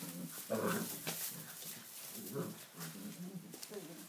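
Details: Six-week-old Tibetan Mastiff puppies playing wildly in a stable for the first time, kept indoors because it is wet outside; short harmonic whines and throaty growling yelps over scuffling and rustling straw.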